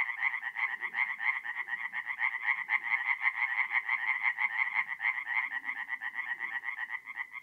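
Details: Tree frogs singing in a forest pond at night in April, North-East Italy; loud rapid pulsed croaking from several frogs, rhythm swelling and easing in waves, soft low-pitched background murmurs.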